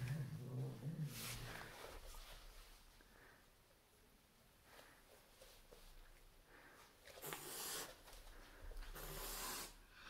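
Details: A Turkish Van cat being introduced to a new roommate growls low and throaty for over a second, then gives harsh, airy hisses in short bursts, two close together near the end, in a quiet room.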